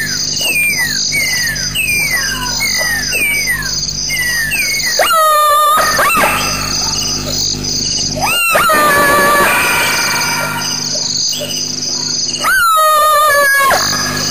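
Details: Black-backed jackal, to which the strange noises are attributed, calling at 3:31 am (dated 2.21.07): a run of quick falling whistles, then loud harsh downward-sliding wails. It is perhaps protecting something or trying to steal food.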